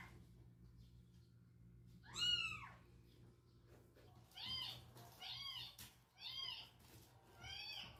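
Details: Cats meet a strange meowing from a box. One loud, bright meow is followed by four evenly spaced, near-identical arched meows about a second apart, against faint indoor humming.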